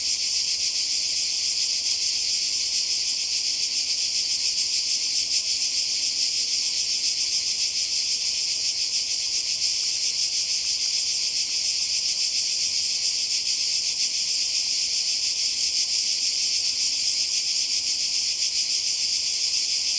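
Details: Croatian seaside cicadas in summer 2020 keep up a constant shrill buzzing for the whole stretch. The dense, hissing drone never breaks, with a faint rapid throb running through it.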